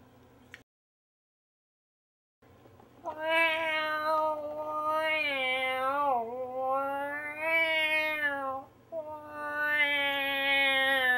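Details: Cat meowing in response to harmonica playing: after about two seconds of silence, long drawn-out wavering meows that rise and fall, four in a row, each lasting about two seconds.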